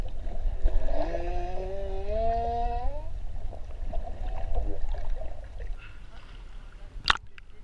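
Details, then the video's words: Three humpback whales in the waters of Ha'apai, Tonga, give a clear rising, harmonic whine lasting about two seconds, then fainter wavering tones over steady low underwater rumble, with one sharp crack near the end. "Swim With 3 Whining Whales"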